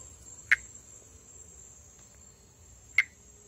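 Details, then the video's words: Pithecopus nordestinus, a tree frog endemic to northeastern Brazil, calling during amplexus: two brief, sharp clicking notes about two and a half seconds apart over a quiet background with a steady high hum. "Vocalização e amplexo de Pithecopus nordestinus"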